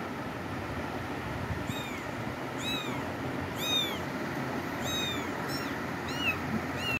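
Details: Kitten being given medicine, mewing in thin, high-pitched rising-then-falling cries, about seven short calls over five seconds with a brief pause between them, over a steady low mechanical hum.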